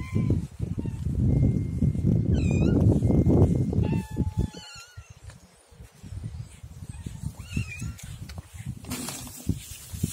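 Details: Siamese cats at feeding time give short, rising-then-falling meows, several in succession, over loud low rustling and clattering, then quieter background noise with a later faint meow.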